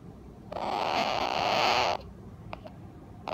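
A sleeping Asian small-clawed otter gives a harsh, buzzy squeal lasting about a second and a half, then a few short, high squeaks.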